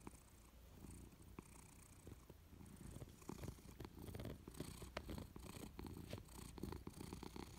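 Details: Persian cat purring while dozing on a warm sofa indoors, a low, buzzing rumble that grows a little louder in the second half, pulsing rhythmically with each breath.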